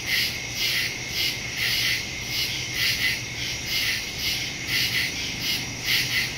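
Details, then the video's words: Night chorus of crickets in woodland, captured September 2, 2023 on a phone fitted with a stereo microphone: shrill, rhythmic pulses recurring roughly twice per second over a constant high hum. "Crickets in the woods at night"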